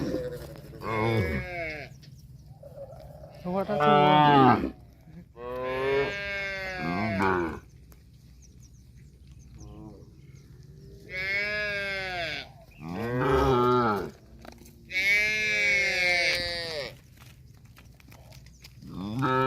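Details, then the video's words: Cattle mooing repeatedly, about six long drawn-out harmonic moos of one to two seconds each, some bending in pitch, separated by quiet gaps over a steady low hum. "CUTE AND FUNNY COW SOUND VIDEOS COMPILATION"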